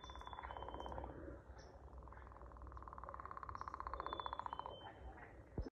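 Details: A singing frog gives a short pulsed trill, then a longer one near three seconds long that grows louder toward its end, all over a continuous low chorus with faint high whistles.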